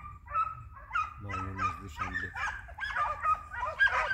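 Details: Hounds working as a trio on a hare hunt, flushing and sighting the hare; loud, overlapping yelping bays tumble over one another, with a brief deep, droning tone midway and a rough outdoor background.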